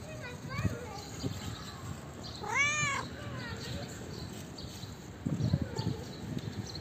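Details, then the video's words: Female calico cat giving one clear drawn-out meow, arched in pitch, amid quiet background rustling and faint low sounds before and after. "Calico cat has the cutest meow you'll ever see."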